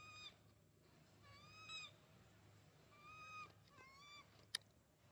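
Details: Baby monkey wanting milk cries in short, thin, rising-then-falling wails, three or four in a row, heard softly over a constant low hum and background hiss, with one sharp click near the end.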